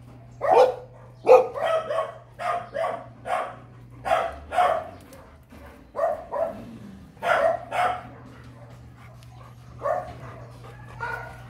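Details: Sharp, excited barks from a breeder dog meeting a female for the first time come in uneven bursts, some doubled, with brief pauses and a faint low hum underneath.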